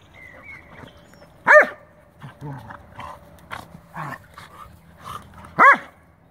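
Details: Scottish terrier and schnauzer playing a Sunday game, with two loud, high, ringing yelps about four seconds apart, softer grunts and scuffles between them, and a person speaking quietly.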